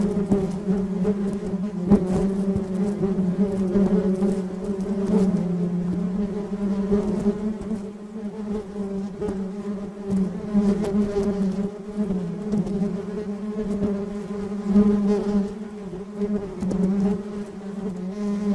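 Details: Honey bees from a colony buzzing continuously, a steady low drone with a fundamental near 200 and harmonics stacked above, swelling and fading as bees pass close, with occasional brief clicks.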